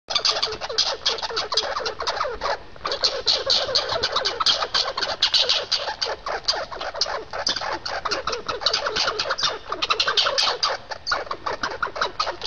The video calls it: squirrel sound